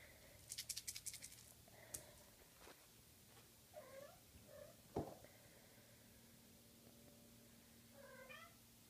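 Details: Six-week-old Maine Coon kittens indoors, a litter of girls and boys; thin rising and falling meows come in short bursts, a soft low purr-like hum runs underneath, with rapid clicking taps near the start and a sharp knock midway.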